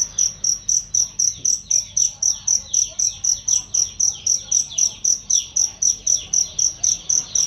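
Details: Cricket recorded to train songbirds, its voice loud and clear. Rapid shrill pulses repeat roughly four times a second in an even beat, while softer falling tweets run faintly behind them.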